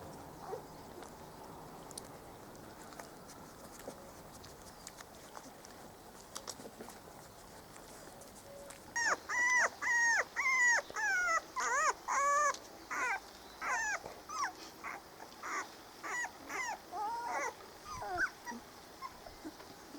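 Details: Spanish Water Dog puppies from Trella's litter, four weeks old, on their first day out in the garden in 2013; after quiet rustling, a run of high, wavering whimpers and whines starts near nine seconds, repeated almost twice a second.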